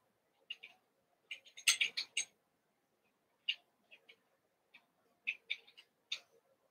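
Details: Cavalier King Charles Spaniel puppies at play after two litters, six from Daisy and two from Robin, are combined one night; short high-pitched yips come in quick clusters, a loud flurry early, then scattered single squeaks.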